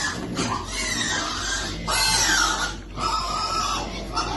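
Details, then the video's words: Piglet waiting for food, squealing in a long, continuous run of harsh, broadband cries with rising and falling tones, briefly breaking off twice before starting again. "Baby piglet waiting eat food"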